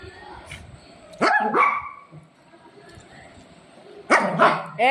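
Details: Golden Retriever, a pet dog, barking while keeping its owner from eating; two loud, sharp barks with upward-sweeping tones come about three seconds apart, with people talking and laughing around them.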